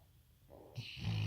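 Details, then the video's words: Rottweiler dog snoring while sleeping peacefully indoors, loud enough to make the floor vibrate; a brief low, rumbling snore that swells in loudness, with a hiss of breath joining partway through. "Cute Rottweiler Snoring!"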